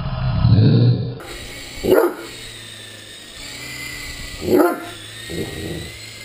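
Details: Great Dane at play with a remote-controlled helicopter: a low rumbling hum at first, then two sharp barks a few seconds apart and a softer third bark.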